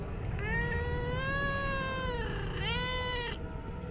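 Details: Domestic cat answering its owner in a back-and-forth chat: a long, drawn-out, clear meow that swells and bends, then a shorter second meow, with steady low background hum.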